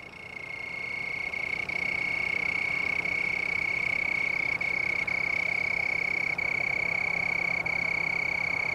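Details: At Dillon Nature Center, Hutchinson, Kansas, on 7 November 2009, a cricket near trailside plants with leaves and red berries sings a continuous high, even, pure-toned trill at one pitch against a faint background hush.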